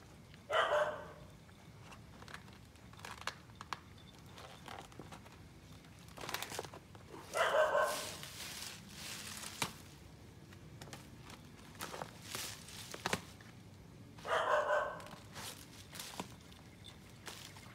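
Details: Alaskan Malamute exploring outside the house gate for the first time; three short, loud bursts near 0.5, 7.5 and 14.5 seconds, dog-like voice with quiet rustling and footsteps between.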